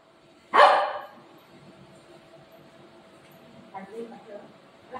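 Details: Pet dog Buzo, angry at a family member, lets out one sharp, loud bark near the start. A quiet indoor stretch follows, with soft human voices and rustling toward the end.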